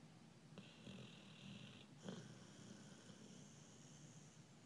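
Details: Snoring American Bulldog, asleep, drawing a long whistling, wheezy breath, pausing with a sharp snort, then another thinner wheeze over a low, gravelly rumble.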